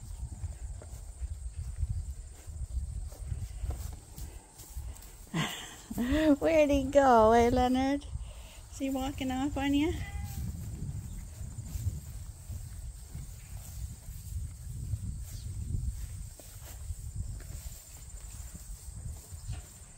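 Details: Rams on a large registered Suffolk and Poll Dorset sheep farm, Ewetopia Farms, on a quiet day. A wavering, tremulous bleat lasts about two seconds, followed by a shorter second bleat, over steady low farmyard rumble and faint footsteps.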